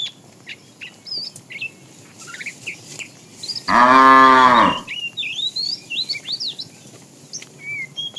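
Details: Tame cows wandering a road as a herd in search of food; a single sustained harmonic moo of about one second sounds midway amid steady twittering and chirping birds.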